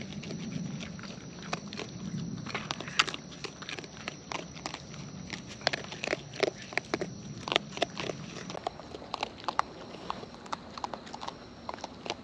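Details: Wild raccoons eating close up, natural chewing sounds: dense sharp crunching clicks and smacks spread across the whole stretch, with a low murmur early on and a faint steady high hum behind.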